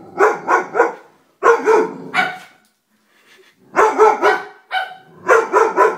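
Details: Barking Dobermann in a humorous compilation: repeated loud deep barks in quick runs of three or four, a short pause, then more rhythmic barking.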